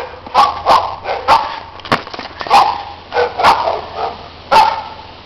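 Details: Neighbours' loud dogs barking during play in the snow, with overlapping sharp and slightly hoarse barks arriving irregularly throughout, several close together.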